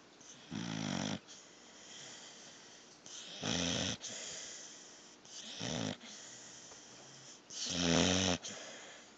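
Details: Asleep indoors, Thor the pit bull puppy gives four rough, low, buzzing snores spread unevenly across nine seconds, each about half a second long, with soft breathy hiss in the gaps.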